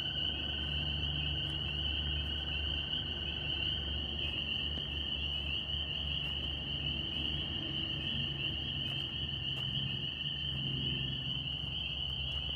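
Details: Chorus of northern spring peepers in New York: countless high peeps blend into one unbroken piercing whine, with a fainter lower tone for the first few seconds and a deep background hum.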